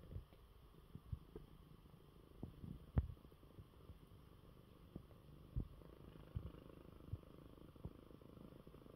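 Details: Low purring from Coco, a pet cat resting in his bed after a good meal during illness; a quiet continuous rumble broken by occasional sharp clicks and taps.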